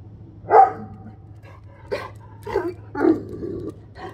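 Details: Central Asian Shepherd guard dog barking, unhappy at delivery trucks; five gruff barks at uneven intervals, the first loudest, with a steady low engine hum underneath.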